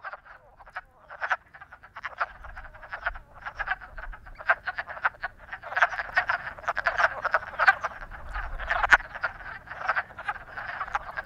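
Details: Several frogs in love croak together in a dense chorus of short rattling pulses, overlapping without pause, steady and fairly loud throughout.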